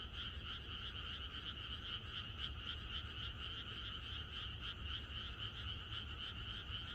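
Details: Rural frog chorus heard the night before rain, many voices merging into a steady, fast-pulsing croak, about four pulses each second, with a low hum underneath.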